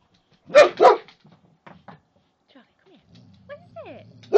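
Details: Charlie, a pet Boxer dog, scared of a teddy bear, gives two sharp loud barks close together, then quieter low rumbling and a faint squeak, ending on another bark; a person speaks in the background.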